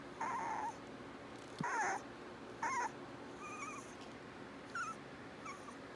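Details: Augie puppies, a Corgi and Toy Aussie cross, giving a run of thin, wavering whines: three louder whimpers in the first three seconds, then softer, higher squeaks trailing off.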